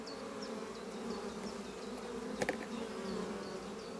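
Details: On a spring morning, worker honey bees fly in and out of hive Doppio under some trees, bringing in pollen. A continuous droning hum fills the clip. A distant bird chirps repeatedly, and a brief sharp knock sounds midway.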